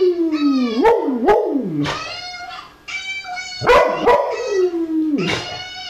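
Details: Tom the dog answers a puppy indoors with a sliding, descending howl-like whine broken by sharp yips, while the puppy's high wavering cries continue over and between.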